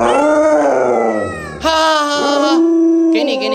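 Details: Pet Alaskan Malamute Lolo, a dog known for 36 tricks, howling indoors in long, wavering, tonal notes rich in overtones. The voice dips midway, then resumes louder with a brief harsh burst near the end.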